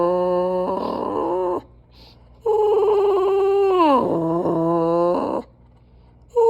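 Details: A pet dog making a strange noise: long drawn tonal howl-like moans with rich harmonics, holding steady then bending down in pitch, two main stretches separated by a short pause, indoors.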